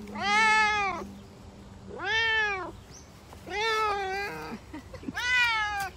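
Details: Four long, clear meows from a Savannah cat during a summer walk. Each call is bright and strongly harmonic with an arched pitch contour, repeated about every 1.7 seconds, and a few soft clicks follow the third call.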